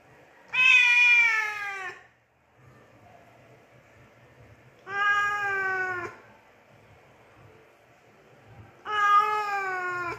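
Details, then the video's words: Three long, loud, slightly wavering meows from a domestic cat, roughly every four seconds, each about a second long, in a quiet setting with faint low hum. "Cat Meow Sounds"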